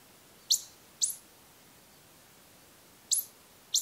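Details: Ezo pika, the Japanese pika, in the Daisetsuzan mountains during the autumn pair-formation period, male and female calling to each other: four sharp, very high squeaky chirps, two close together, then a pause and two more, over quiet background hiss.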